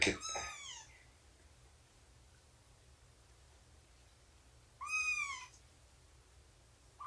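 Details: Cat voice amid nursing and play with Shelby, an abandoned mother cat estimated at two years, and her kittens around three months old, morning of 24 September 2017; two separate arched, harmonic mews about four seconds apart, otherwise quiet.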